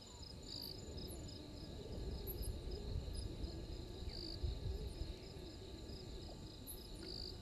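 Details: Night chorus of insects by Gowrie dam, Djuma Game Reserve in the Sabi Sand Wildtuin, South Africa, 03:44 on 12/04/21, from a waterhole live cam: shrill rhythmic pulsing trills held throughout over a heavy low rumble.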